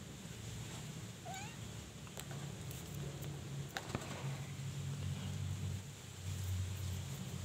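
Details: From a Persian cat with kittens, Molly now on her fifth litter of four: one brief, faint meow with a quick upward-then-falling bend, followed by soft clicks and a constant low droning background.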